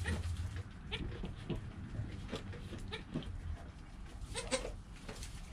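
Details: ['Goat kid Joel, less than an hour old, filmed with a GoPro next to his calm mother Penny; several brief, reedy bleats come over a low, rumbling background with scattered rustling clicks.']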